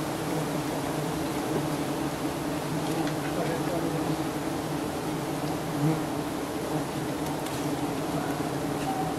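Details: Giant honey bees in Thailand swarming as honey hunters harvest their nest high up. A dense, steady droning hum runs throughout, layered in low stacked tones. Faint human voices sit beneath it.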